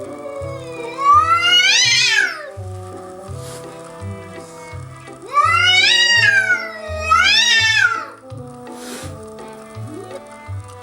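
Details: House cat of a family, not impressed, facing a curious young bobcat wandering on the house deck, eyes locked through a glass door; three drawn-out, wavering yowls rising then falling in pitch, each about a second long, over steady background music.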